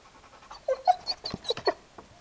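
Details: Hyperactive four-year-old Labrador indoors, giving short nasal whines and yelps in quick succession with breathy huffs between them, several pitched notes bunched over a second.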